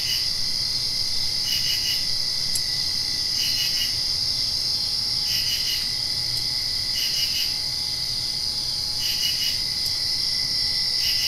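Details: Several crickets calling at night right after a rain, a dense unbroken high trill beneath pulsed chirp groups repeating about every one and a half to two seconds, with occasional sharp ticks.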